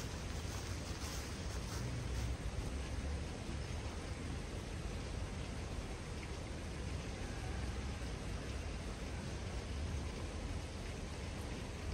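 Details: Steady, dense rain-like hiss fills the recording throughout, with no animal voice standing out.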